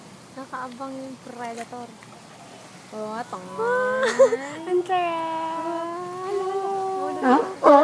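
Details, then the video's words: Sea lions at Sea Life Park in summer 2011, shown barking and kissing: a few short, clipped harmonic barks, then longer drawn-out wavering calls that rise and fall, growing louder toward the end. "Sea Lions Barking and Kissing"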